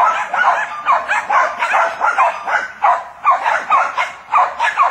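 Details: Several Jack Russell Terriers baying at a wild boar: quick, sharp yaps in an irregular stream, over two per second, steady loudness.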